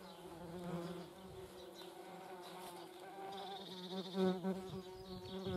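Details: German wasps at a feeding place: a continuous low droning buzz that swells and fades as insects move about, with a faint higher hiss in the second half.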